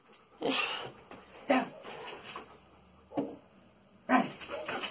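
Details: German Shepherd dog named Salvo during a training session, giving four short, harsh, noisy bursts spaced roughly a second apart, the last one followed by softer trailing sounds.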